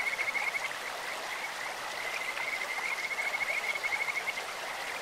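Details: Kajika frog in a flowing stream giving a long high trill of rapid even pulses at a steady pitch, almost bird- or insect-like, nearly throughout, set against loud broadband water rush.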